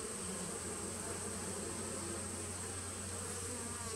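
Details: Continuous humming of honey bees in a small nucleus hive from 2017, recorded 19 September 2018; the low, level drone never pauses, with a faint constant high tone in the background.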